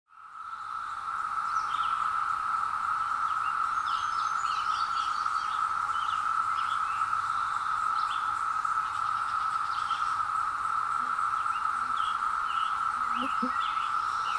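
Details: Periodical cicadas emerging after 17 years, recorded in woods on a hill with a Zoom H2: a dense, unbroken droning whine at one steady mid pitch fills the clip, while scattered short bird chirps and whistles sound above it.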